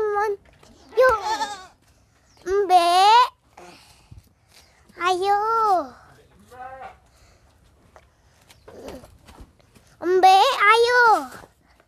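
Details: Young goat, hard to catch, while a child plays with it: wavering, quavering bleats of about a second each, widely spaced between quiet gaps, with brief child talk in the background.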